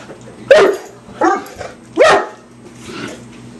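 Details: Hamish the mastiff playing with raw chicken rather than eating it: three loud, deep barks roughly every three-quarters of a second, followed by a softer fourth, over a steady low hum.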